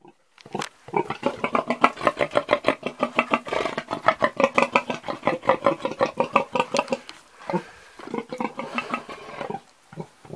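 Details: An old pig gives a long run of rapid, rhythmic grunts, several per second for about seven seconds, then a pause before a few more grunts near the end.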